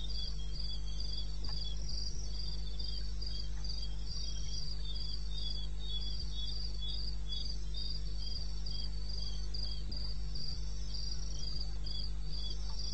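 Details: Wild crickets in eastern Botswana, recorded 21 May at 2:30 AM: shrill, rhythmic chirp pulses repeating without pause, two or more voices interleaving, a low steady hum underneath.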